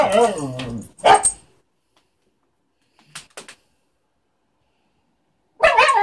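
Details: Siberian Husky pestering a cat because it wants to play; a wavering, howling whine-talk lasting about a second, a sharp bark, then silence and faint rustles before another burst of yowling vocalising.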